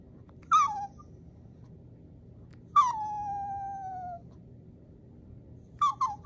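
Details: Yorkshire Terriers, two male dogs, crying indoors, perhaps over the weekend still being a day away or over a bone: three high whines, the middle one a long falling then level whistle-like cry lasting over a second, with short yelps at the end.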